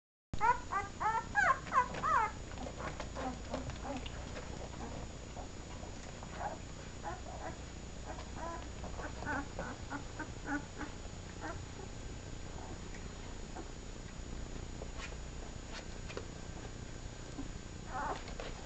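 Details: Seven-day-old puppies from a first litter at a kennel, nursing; a burst of thin, high, wavering whimpers and squeaks in the first seconds, then only faint scattered squeaks over a low steady background hum.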